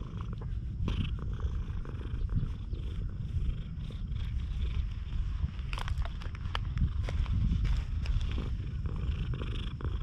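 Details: Friendly stray cat that has lost one eye, recorded on a GoPro HERO8: a steady low rumbling purr runs throughout, broken by scattered rustling and clicking handling noises.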